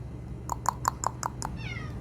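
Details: Domestic cat, one of a huddled group of lovely brother cats: a run of six short, sharp taps about every fifth of a second, then a brief meow falling in pitch at the end, over a low hum.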